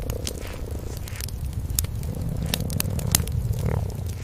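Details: Mother cat and cream kitten curled up asleep by a fireplace at night give a continuous low, throbbing purr, while the fire snaps and crackles in frequent sharp bursts over it; no background music.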